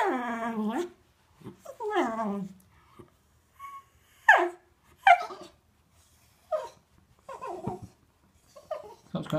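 A Cocker Spaniel gives drawn-out, falling whines and short yips, pleading to go for a walk.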